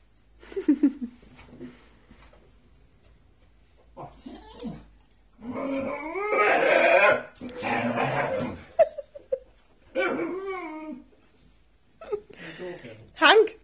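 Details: Hank, a one-year-old Staffordshire bull terrier, grumbles impatiently indoors while waiting to be taken for a walk: drawn-out, wavering whines and moaning groans in bursts separated by pauses, ending with a couple of sharp, higher yelps.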